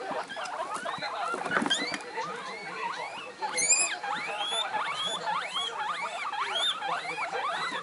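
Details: Excited pet guinea pigs, three together, the two one-month-old young voicing emotions in high pitch: a dense run of upward-arching squeaks, rapid and overlapping, repeating roughly twice a second, with a low television murmur underneath.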